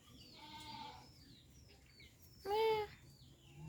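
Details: Faint, distant goat bleat followed by a brief, louder, clear bleat, over a hissing background with soft chirping.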